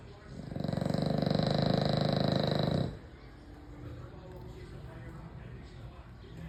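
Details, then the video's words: An American Bully dog sleeping and snoring very loudly: one long, rumbling, pulsed low snore lasting about two seconds, then quieter breathing. "American bully snoring very loud"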